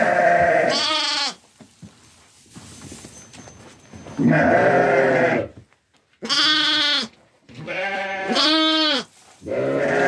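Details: Sheep on a farm with newborn lambs and Kangal dogs, several loud harmonic bleats, wavering and nasal, about a second each, in repeated bursts separated by quieter rustling and handling noise.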